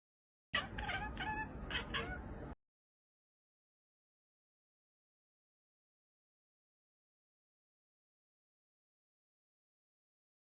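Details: Domestic cat giving a short run of harsh, strained meows lasting about two seconds, then silence for the rest of the recording.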